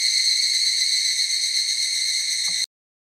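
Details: Higurashi cicadas singing en masse in a forest: an unbroken, high, buzzing shimmer of many insects that stops abruptly, leaving silence.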